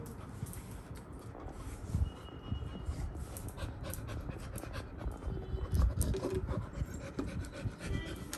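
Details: Labrador puppy, excited after a paw ball is shaken to make a sound, panting rapidly and steadily at about four breathy, rasping puffs per second, low and noisy with a few faint clicks and no clear voices.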